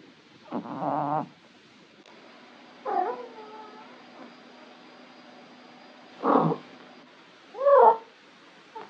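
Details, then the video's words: Orange male Maine Coon cat, relaxed at home, giving weird vocalizations while stretching: four separate drawn-out, wavering meows and trills spaced one to three seconds apart, some rising and falling in pitch, over faint steady indoor hum. "This Floofy Boy Makes The Weirdest Sounds When He Stretches"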